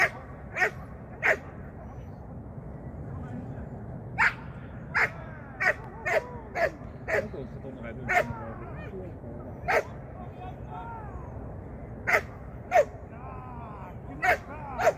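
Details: Shetland Sheepdog Sian barking during a first training lesson in 2023. Short, sharp yaps come every second or so, about fifteen in all, with faint whines, quiet human voices and low room noise underneath.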